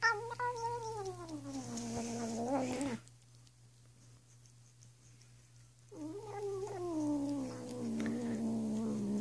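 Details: Female pet cat indoors making weird drawn-out wavering meow-like calls while licking her paw during grooming; two long falling, warbling cries separated by a quiet pause, with a steady low electrical hum behind.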